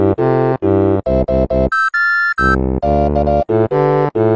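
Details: Bouncy synthesizer and keyboard tune with short punchy chords and a brief high chime, with no animal sound.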